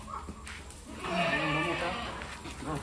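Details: Osmanabadi goats on a stall-fed goat farm in Maharashtra at evening fodder time; one loud, wavering, harmonic bleat lasting about a second dominates, with faint human speech and light clatter before and after.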